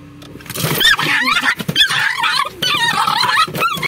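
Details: A male Miniature Pinscher in a car in Severínia, São Paulo, Brazil, on 17 August 2022 bites and barks at the windshield wipers, yapping and whining in frantic, high-pitched, wavering bursts.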